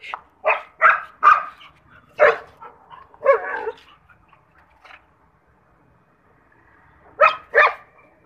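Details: A German Shepherd barks at a monkey in short, loud bursts, several quick barks then a pause. German Shepherd.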